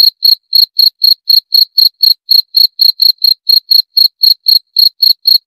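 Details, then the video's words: Cricket (jangkrik) calling: clean, high-pitched chirps repeated steadily about four times per second, each short pulse evenly spaced with slight irregularity, with no other sounds in the background. "30 Menit Suara Jangkrik - 30 Minutes Cricket Sound Effect"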